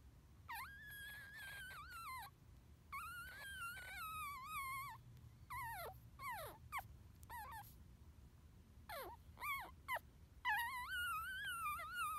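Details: Chestnut, a newborn pug puppy brought home hungry and eating for the first time, gives a run of high whimpering squeaks, some held and wavering, others sharp falling chirps, in bursts across the clip with brief pauses.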